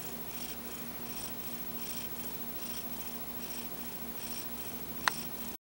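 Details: Pet cat napping in the afternoon, snoring with soft, even breaths about every 0.8 seconds, one sharp click near the end.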